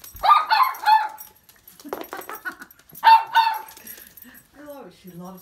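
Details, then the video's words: Three toy poodles, excited while waiting for a treat indoors: bursts of sharp high yips, then soft rising whimpers near the end. "3 toy poodles can't wait for treat"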